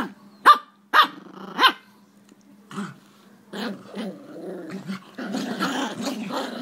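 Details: Jack Russell Terriers during a tug-of-war game; three sharp, evenly spaced barks open the recording, followed by lower, uneven growls that build into a rough, continuous snarling rumble.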